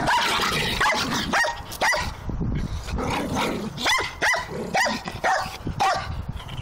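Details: Jack Russell Terrier barking: sharp, harmonic barks and yips in an irregular series of about a dozen over seven seconds, some rising then falling in pitch, loud and close.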